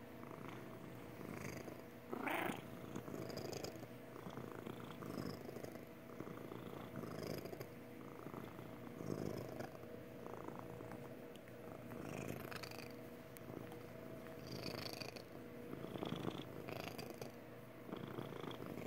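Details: Contented purring from Magic the cat, a happy purr that rumbles on continuously and evenly, broken now and then by short soft rustling or handling noises.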